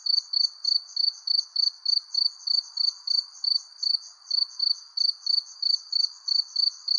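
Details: Crickets beneath a persimmon tree at sundown give a shrill, regular stream of short chirps, about three each second, above a quiet low hum.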